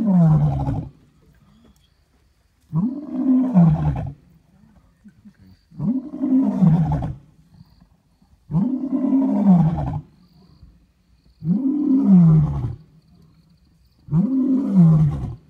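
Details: A lion in Kruger gives a series of deep, rumbling roars, each swelling and then sliding down, about every three seconds.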